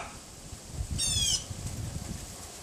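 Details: A Pomeranian next door, unseen behind a wooden fence, gives a single shrill yap on a windy February afternoon in 2015, around 3:18 PM; steady low wind rumble runs throughout.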